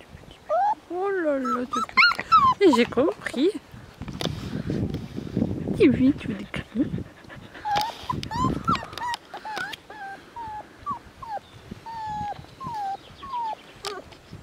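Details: Border Collie dogs, not pedigree-registered, on a farm during a playful, sunny afternoon. Shrill whines rise and fall in pitch, a burst of rough, mixed barking follows, and then a run of short, evenly spaced high yelps. Human voices are heard in between.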